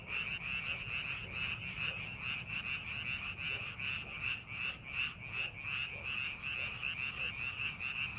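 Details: A frog chorus rises from rice paddies during farming preparation, many callers overlapping in fast, evenly pulsed croaking at roughly 150 beats a minute, over a continuous high-pitched trill and faint low background noise.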